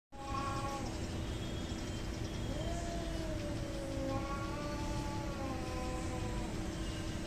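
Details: Cats fighting and hating each other: a short wavering yowl near the start, then a long, drawn-out moaning howl that slides up and down for several seconds over a constant low rumble and steady hum.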